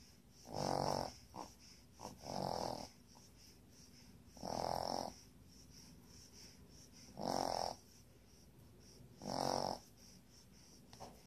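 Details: Sleeping puppy snoring in steady rasping bursts, each about half a second long, coming roughly every two seconds with small breaths between, over a quiet high hiss.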